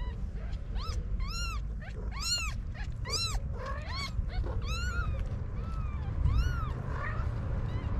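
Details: Homeless kittens beside their mother cat on a Moroccan street give dense, rapid high-pitched mewing, rising-then-falling cries overlapping one another, with a few softer drawn-out mews near the end against low traffic hum.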